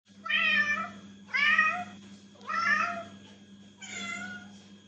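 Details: Domestic cat indoors giving four loud, drawn-out meows about one second apart, each bending slightly downward, the last one softer, over a steady low electrical hum.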